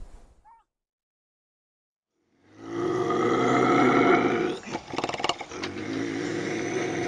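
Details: Bobcat howl used to scare off raccoons and rodents: after a brief faint chirp and two seconds of silence, a long, loud, buzzy harmonic yowl starts, then breaks into rough, crackling pulses.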